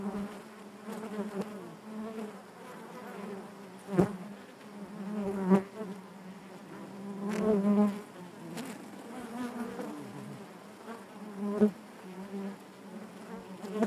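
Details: A steady low drone of honey bees in their hive runs throughout, with swelling surges of buzzing. Scattered sharp knocks and taps sound every few seconds over the hum.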